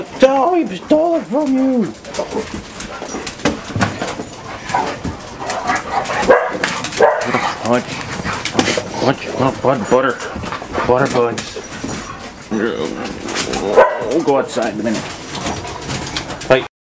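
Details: Six pet dogs named Esther, Becky, Doxie, Sandy, Pudge and Buddy on a typical morning at home, giving wavering whines and sharp scattered barks that overlap, with a person talking throughout.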